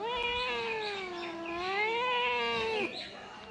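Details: Domestic cat, which had refused cake, meowing when told to sing; a long, drawn-out meow that dips and rises in a wavering, song-like contour for nearly three seconds, then a soft broken ending.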